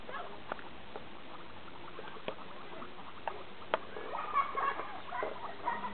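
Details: Several guinea pigs from two households playing together in a small homemade playground. Soft, quick chuttering runs into a cluster of brief squeaky notes toward the end, over the light patter of feet and faint background hiss.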